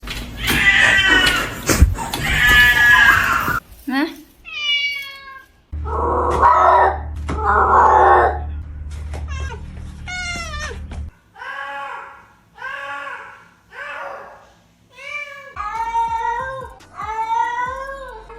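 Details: Indoor domestic cat meowing in a small room, harmonic rising-falling meows in short series, some high and thin, others lower and fuller, mixed with human speech and music-like passages between calls.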